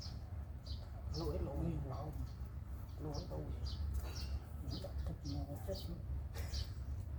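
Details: Newborn kittens beside their attentive mother cat, who stays close to them, give short harmonic mews in scattered bursts, while sharp high chirps repeat about twice a second over a steady low rumble.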